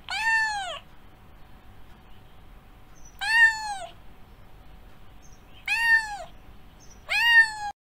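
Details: Domestic cat meowing: four short, clear meows, each sliding downward in pitch, spaced about two to three seconds apart with quiet gaps between.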